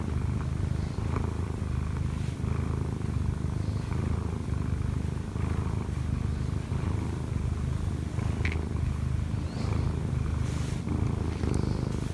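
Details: Kkobugi, a one-year-four-month-old Munchkin cat with odd eyes, climbs onto its owner to knead and purr when she sleeps late. A steady, dense purr carries on without pause, with soft scratchy rustles from movement.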